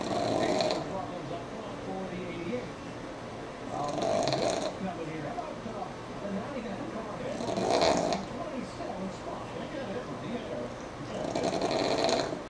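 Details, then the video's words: Sammi, a pug, sleeps through NASCAR and snores steadily: four harsh, hissing snore bursts, one roughly every three and a half to four seconds, over a continuous murmur of voices and low broadcast noise. "Pug Snore Monster"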